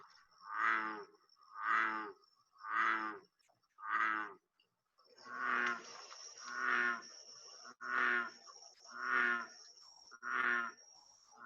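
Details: American bullfrog from the Southeast Texas (Houston) area giving deep, moaning, harmonic croaks roughly every second like a distant cow, with a faint light chirp of a Rio Grande chirping frog in the background.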